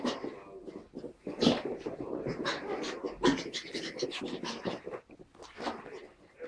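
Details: Two puppies at play, Tilda the Pug and Roz the Chihuahua, giving low rasping growls and panting grunts in bursts, with quick breathy snorts between and faint speech in the background.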